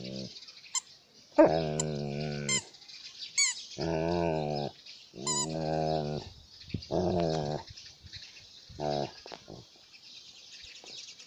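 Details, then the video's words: An Alaskan malamute at play with its toy gives a run of drawn-out, wavering whines and talkative growl-howls, about six bursts of one to two seconds each, interspersed with sharp squeaky toy-like chirps and a constant background hiss. "Alaskan malamute playing with toy"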